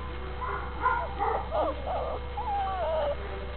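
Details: Registered Catahoula Bulldog puppies giving a run of wavering, high whines and whimpers, several overlapping and bending up and down in pitch, over a steady low electrical hum.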